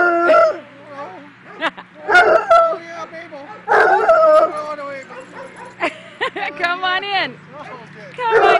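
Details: A Bloodhound greets a Black and Tan Coonhound at a dog park on 18 January 2010. The two hounds trade long, wavering howls as a welcome song, their voices rising and falling together while a person talks.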